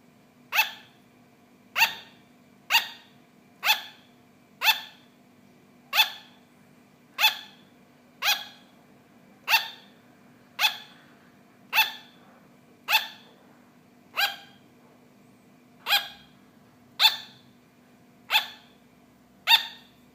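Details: Pet sugar glider barking: short sharp yapping barks with bright harmonic stacks, repeated steadily about once a second throughout, over a faint low steady hum.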